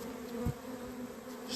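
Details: Honey bee swarm on 28 April 2026, settled after the queen was taken and placed into a hive. Steady droning hum with a low tonal band and its overtone, a brief dull thump near the start, and a faint hiss rising at the end.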